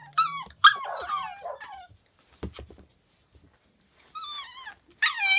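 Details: Pembroke Welsh Corgi puppies, four siblings waiting in their house pen indoors while the room is cleaned: a few high wavering whines and squeals in short bursts, separated by quiet gaps and soft knocking sounds.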